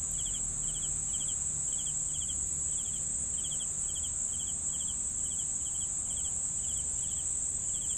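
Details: Rhythmic cricket chirping, each chirp a tight cluster of pulses, roughly two per second, against an unbroken high continuous trill and soft low background noise.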